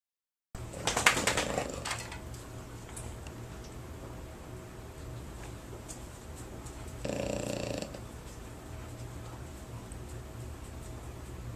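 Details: French Bulldog at a board-and-train dog training facility, snoring indoors: a short raspy burst near the start and a second longer rough snore later, with a steady low hum underneath.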